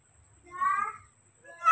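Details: Newborn baby monkey crying out for milk: one loud, clear, drawn-out squeal with rich overtones, holding steady and then fading, with another cry starting at the very end.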